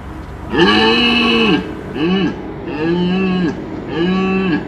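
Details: Deer stag during the rut in a large enclosure at the Altenfelden wildlife park, giving four deep, drawn-out, moaning roars about a second long each, the first longest, with short pauses between them.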